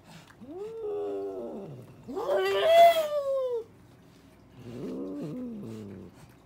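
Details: Cats arguing and talking to each other: three drawn-out, wavering yowls, each about a second long. The first is low and moaning, the middle one louder, harsher and higher-pitched, and the last a falling, wailing moan, with brief quiet gaps between.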